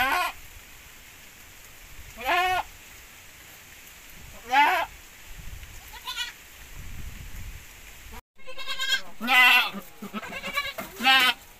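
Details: Several bleats from Javanese x Boer cross goats: spaced wavering nasal cries at first, then, after a brief cut, a quicker run of overlapping bleats from more than one animal.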